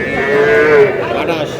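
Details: Bull calf at a market where a Comilla farmer bought the smallest young bulls, 10 June: one clear, steady moo lasting about half a second, slightly rising then fading, over a low murmur of voices.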